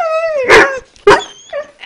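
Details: German Shepherd reacting to a monthly siren test with a wavering howl that dips and breaks, interrupted by two loud bursts and a short yip, a person talking nearby indoors.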